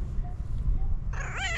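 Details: Fluffy female tabby cat gives a single short meow near the end, a bright harmonic cry that dips in pitch, after a stretch of low indoor hum.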